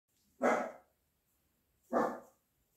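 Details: Jack Russell Terrier puppies, four weeks old, kept with a seven-month-old Scottish Deerhound; two short, sharp barks about one and a half seconds apart in a quiet indoor room.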